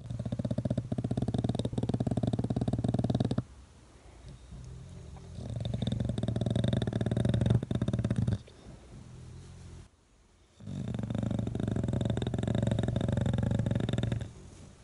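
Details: A young English Bulldog sleeping on a person's face, as he has since puppyhood, snores in loud, deep, rattling rumbles, each drawn-out breath followed by a brief quiet pause.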